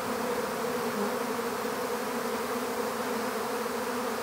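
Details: Droning buzz of a honeybee swarm being put into an empty hive, a smooth unvarying hum from countless bees filling the whole four seconds.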